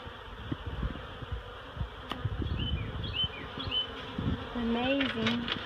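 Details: Swarm of honeybees leaving a barrel for a new hive at Miss Bee Haven where their queen has been placed; steady droning buzz with scattered clicks and bumps, brief high chirping birds, and a low voiced tone near the end.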